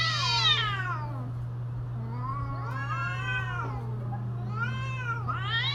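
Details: Domestic cats caterwauling in mating season: a loud high wail sliding downward, then two long wavering drawn-out howls that rise and fall, all over a constant low electrical hum.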